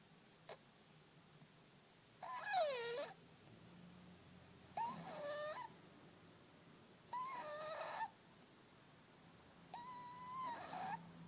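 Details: A fat pet cat snoring loudly while asleep. Each breath brings a whistled, nasal tone that bends up and down, repeating about every two and a half seconds over a steady background hiss.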